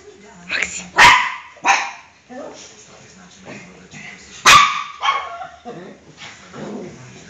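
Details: Pet dog Maxi after a bath lets out two loud, sharp barks about three and a half seconds apart, with softer yelps between them and people talking throughout.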